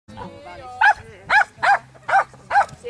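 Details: Lapponian Herder dog at a youth agility championship on 2 August 2008, giving five sharp, evenly spaced barks about half a second apart, with people talking in the background.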